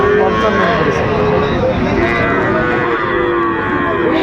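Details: Cattle at the Raniganj cattle market in Dinajpur, Bangladesh, on 28 November 2024, where Friesian and crossbred bull calves are bought and sold; long drawn-out lowing tones over a dense crowd murmur and market chatter.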